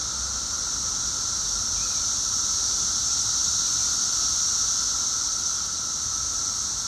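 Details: Seventeen-year periodical cicadas at peak loudness two weeks after emergence, heard from inside: continuous shrill droning chorus holding an even pitch, with a weaker lower tone beneath.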